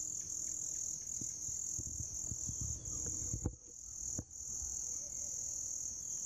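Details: Shrill, even buzzing of grass insects runs throughout, pausing for a moment near the middle, with a cluster of low knocking taps and two sharper clicks mixed in.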